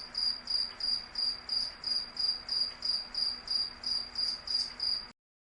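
A cricket chirps steadily, high pulsed trills repeating about three times each second.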